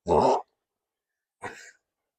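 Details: Indoor sneezing from Delta Dawn, a dog: one loud, sharp, noisy burst followed a second later by a shorter, softer explosive huff, with silence between.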